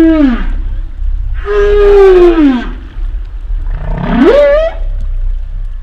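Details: A humpback whale gives a short falling moan, then a longer mid-pitched tone drooping slowly downward, and finally a swooping upcall that rises sharply and holds briefly at the top. Faint low rumble throughout.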